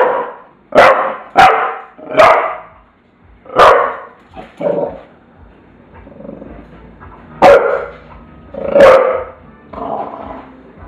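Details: Tula the bulldog barking in a series of loud, harsh, broadband barks, roughly one every second or so with irregular gaps, some pauses between bursts, with faint background sounds.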